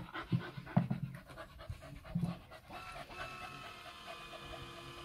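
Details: Tina, a pet dog, pants rapidly in short low breathy bursts while waiting for a tennis ball launcher to throw her ball during a game of fetch indoors; a steady mechanical hum rises later.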